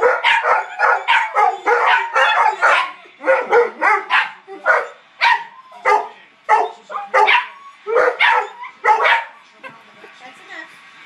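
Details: A quartet of four dogs howling in chorus, dense overlapping yelps and quavering howls repeated in quick bursts, nearly continuous, with no other sounds.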